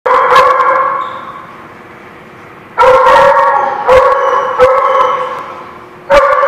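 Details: Dogs at a barking lot, recorded 16 January 2017: loud dense bursts of overlapping barking, each lasting about a second or more, separated by a quieter stretch of softer background barking.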